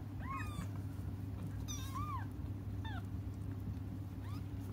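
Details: Cats waiting for their mother to come cry in a few scattered, arched mews, each rising and dropping again, with gaps between them and a constant low background hum.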